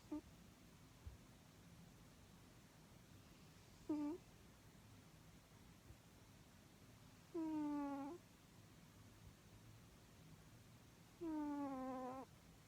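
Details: Snoring cat sounding like Chewbacca: a faint short groan, then two longer, moaning, slightly descending harmonic snores about four seconds apart, each ending abruptly, over steady low room noise.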